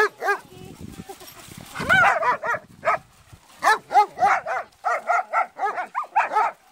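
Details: Playing in the sea on a play date, German Shepherds bark in a rapid, uneven run of bright, harmonic yelps that keep coming for several seconds, with a low rumble of surf-like noise underneath.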